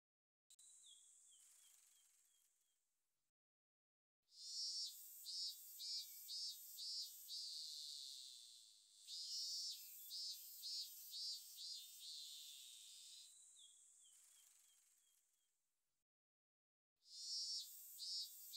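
A robust cicada sings in loud, high, hissing buzzes broken into rapid pulsing bursts.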